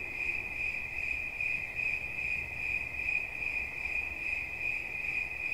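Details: Cricket chirping in a steady, shrill high-pitched trill with fine rapid pulses and no pauses, overtones faintly above, over a soft low background hum.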